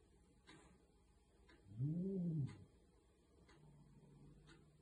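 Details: Older resident cat of the room growls and hides as a bold young kitten appears as a rival, indoors, 16 November 2020. One low, rumbling growl of about 0.7 seconds swells and fades near the middle, with faint clicks around it.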